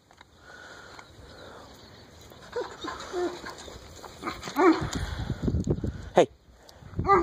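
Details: White Alaskan malamute, 12 years old, giving a few short, wavering, howl-like vocal calls in the second half, rising and falling in pitch, over low rumbling noise and a person's voice.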